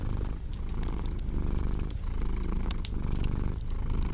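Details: Steady deep cat purring with soft rhythmic pulses, nearly covered at times by loud crackling and snapping from a fireplace.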